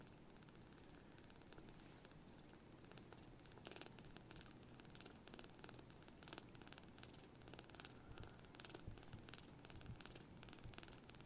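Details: Tiny palm-sized rescued kittens, newly taken into foster care, purring loudly while being affectionate: a steady low rumbling purr throughout, with faint ticking and rustling on top.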